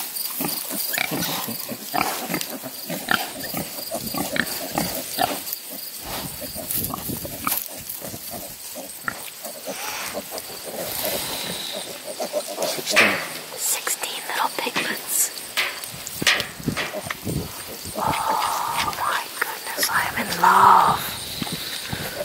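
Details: Few-days-old piglets, a litter of sixteen, and a protective sow near Kingston, Ontario, Canada: scattered grunts and snuffles, then louder high squeals toward the end, with a person talking and insects behind.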